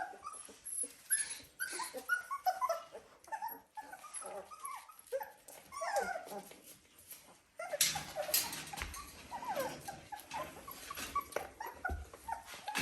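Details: Young Dalmatian puppies, 17 days old, settling down indoors; a busy run of short high whimpers and squeaks from several pups, then heavier rustling and handling noise with fainter cries.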